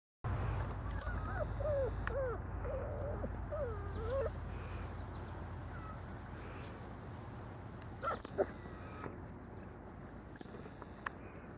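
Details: Five-week-old Labrador Retriever puppy whimpering: a few short, whining, up-and-down calls in the first four seconds, then mostly quiet with a low steady hum and a couple of faint knocks.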